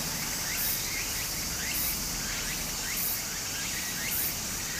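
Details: In Japanese summer by a brook, cicadas keep up a thin high buzz while louder hissing bursts swell about every second, alongside faint rising chirps and the steady rush of stream water.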